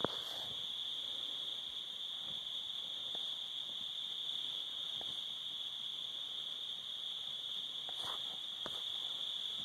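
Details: Summer crickets at sunset by a cabin with a fire, a steady unbroken high-pitched trill holding one pitch throughout, with a few faint clicks and pops scattered beneath it.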